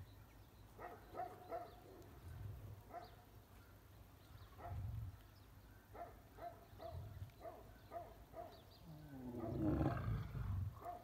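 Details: Male lion chasing other lions and lionesses away from his mate during a courting pair's time together; low, rumbling grunts come in pulses every two to three seconds, with higher harmonic bursts and background noise between them.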